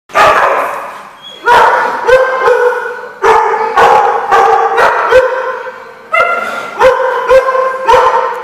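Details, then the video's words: Dogs barking in a lot, recorded on 14 November 2014; loud, harmonic barks come in bursts of several, with overlapping voices and short pauses between volleys. "The Barking Lot"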